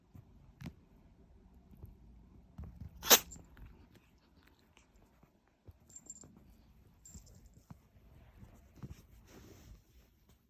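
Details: A Munchkin kitten indoors sneezing in a run: one sharp, explosive, hissy burst near three seconds stands out, with softer snuffles and small rustling noises around it in a quiet room.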